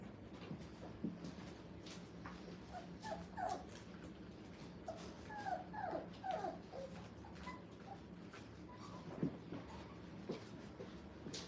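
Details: Five-week-old Brittany puppies playing in a playpen for the first time at a training kennel; soft, thin whimpers and small yips come in scattered bursts over low background noise, with faint human sounds.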